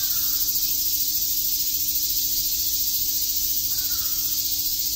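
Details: Cicadas chirping on a summer day in Shakujii Park, Tokyo: a dense, steady, high hiss of many insects that never breaks. Faint short lower calls at the start and near the end.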